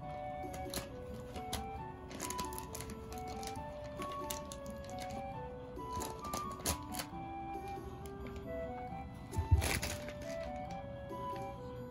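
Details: Light plinking background music with tapping and clicking sounds from a small indoor room; no animal call is heard.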